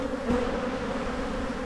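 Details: Honey bees at an open hive in spring, with brood emerging on the frames; an even, steady hum with clear tonal bands, one brief louder bee passing close early on.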